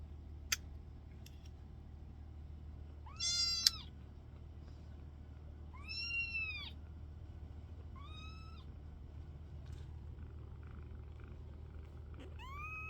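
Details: Kittens indoors giving several high, arched meows spaced a few seconds apart, each rising then falling, over a low steady hum.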